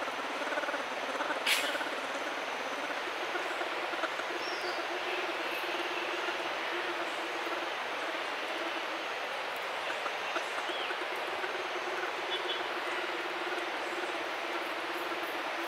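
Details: An orphaned bear cub that seems to take a person for its mother hums on and on. The low buzzing pulse holds one tone with brief breaks, set against a loud, even rushing hiss and a sharp click early on.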